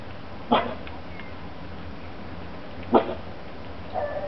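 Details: A 7-month-old male Rottweiler/Bull Mastiff cross puppy on guard gives two sharp barks, then a softer whiny yelp. Rottweiler.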